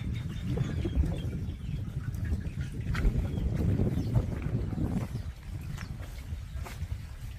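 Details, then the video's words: Pungsan dog puppies fighting over rank: low, rough growling rumbles run almost continuously through the seven seconds, rising and falling in loudness, with scattered sharp scuffling clicks from the tussle. "풍산개 강아지들 서열다툼"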